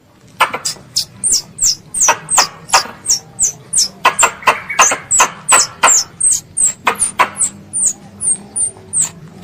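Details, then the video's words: Squirrel, described as a pest, calling its mother: rapid high-pitched chirps, each a sharp downward slide, repeated about three times a second in a steady run, with loud broadband clicks between them and a faint low hum. "THE SOUND OF A SQUIRREL CALLING ITS MOTHER"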